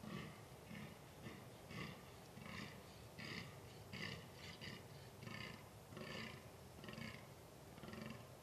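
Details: Fallow deer during the rut in a quiet woodland, 2 November 2012: a rhythmic series of faint, gruff, belching groans, roughly eighty a minute, somewhat uneven in spacing, under steady hiss.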